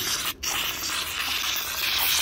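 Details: Tiger licking an empty cream container with its rough tongue, a steady dry rasping scrape like sandpaper, broken by a brief pause near the start; no voice or other animals heard.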